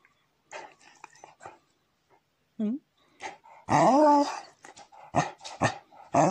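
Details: A Pembroke Welsh Corgi begs for ice cream while a woman talks to it in Russian. A short rising yelp is followed by a long, wavering, howl-like whine and then several sharp barks.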